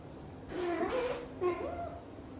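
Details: British Shorthair mother cat Xaxa, blue golden, talking nonstop while grooming her tiny kitten Piano indoors: two short, chirpy meows, each rising then bending down, with a brief gap between them in a quiet room.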